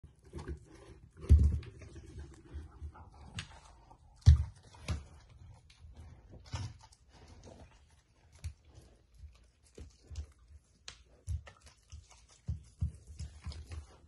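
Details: A Samoyed dog eating steamed chicken indoors: soft, wet chewing and smacking with sharper bites every few seconds, in a quiet room.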